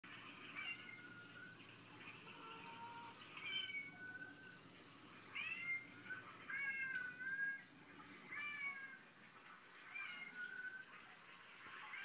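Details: Several domestic cats, described as drama queens, meowing repeatedly; about six drawn-out, wavering meows, some rising then falling, spaced through the recording over a faint steady hiss.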